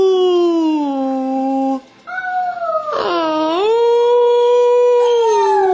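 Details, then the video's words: Pet German Shepherd on Christmas morning, singing along with a young girl: long sustained tones, a lower held note, then a steadier higher one with a quick swoop near the middle and rich overtones. "Canine Caroling, German Shepherd Style"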